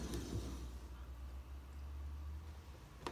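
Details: A quiet indoor low hum runs throughout, broken by two brief clicks near the start and end, with no animal sound present.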